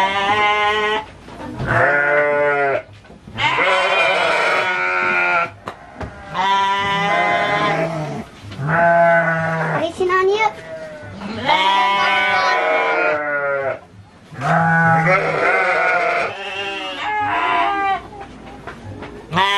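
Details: Garut sheep bleating at the Dangiang fighting-sheep farm in Cilawu, Garut, West Java, Indonesia: about seven long, quavering, harmonic-rich bleats, each one to two seconds long, repeated roughly every two to three seconds with brief quiet pauses between.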